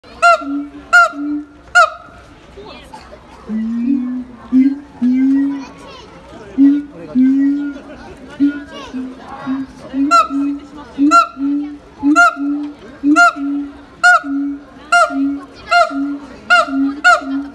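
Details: Siamang at Higashiyama Zoo and Botanical Gardens giving a sudden "aah" scream; regular booming low hoots, about one per second, alternate with sharp repeated higher barks, with crowd noise in the background.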